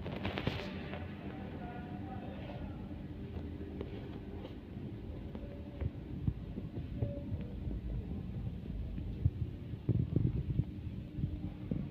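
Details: Low, steady hum dominates, with faint music and a trace of speech underneath and scattered soft clicks; no animal voice stands out.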